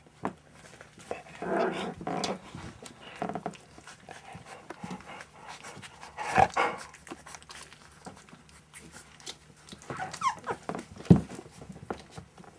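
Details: One-month-old puppies playing at a kennel, with rough, growly bursts early on, a brief squeal near the middle, a short whine later, and scuffling, panting and thumps from the play throughout.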